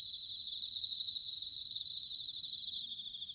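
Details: Close bell cricket in autumn, Sanuki, Chiba, Japan, giving two loud, pure ringing trills of rapid pulses in quick succession above a continuous high-pitched insect chorus.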